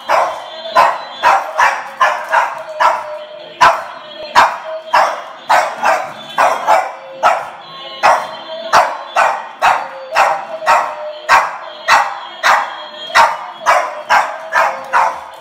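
A Boston Terrier barks continuously, each bark short, sharp and mid-pitched. The yaps come in a quick, fairly even rhythm of roughly two per second throughout.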